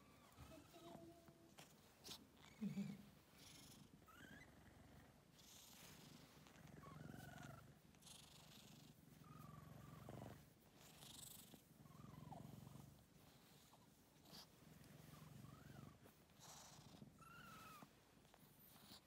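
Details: Domestic cat named Dongeul-i, kept indoors and soon to be adopted, purring in a steady low rumble that runs through most of the stretch, with soft human voices and occasional brief higher sounds over it.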